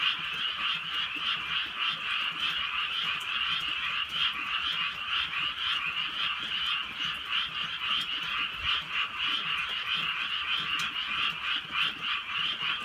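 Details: Countryside frogs croaking through a gentle night rain, many voices merging into a thick, pulsing chorus that beats roughly three times a second, with occasional soft raindrop clicks.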